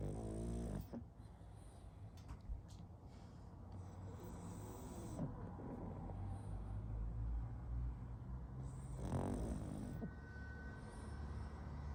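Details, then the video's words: Pug sleeping with steady low rumbling breaths and snorts, a louder wheezy snore around the middle, rasping throughout. "Мопс спит и храпит"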